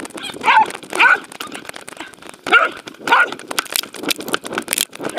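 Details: Welsh Corgi Roku playing chase with a fluffy Sheltie at a dog park, 11 February 2019, Insta360: four loud, slightly rising barks in two pairs, separated by panting and footfall noise.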